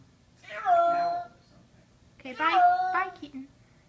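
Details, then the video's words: Frightened male kitten, summer 2014, crying indoors after being brought upstairs: two loud, strained, harmonic meows about two seconds apart, each held nearly a second, in a quiet small room. "Kitten screaming"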